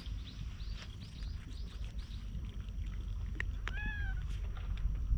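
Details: Stray cat on a Japanese cat island, approached while another cat is brushed with a grooming tool; a short falling meow with bright harmonics near the end, after faint chirpy sounds, over steady low rumble.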